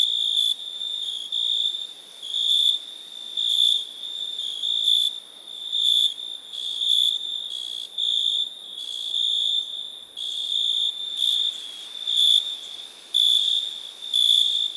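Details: ['Cricket chirping steadily: a high, shrill, pulsing trill sounding in bursts of about half a second to a second, with short quieter gaps between them. The bursts come roughly once per second over a faint background hiss.']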